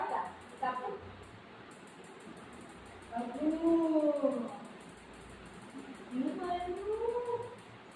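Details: Buzo, a pet golden retriever whose ice cream was eaten by its owner, gives two drawn-out harmonic whines indoors, each rising then falling, between bursts of a woman talking in Marathi.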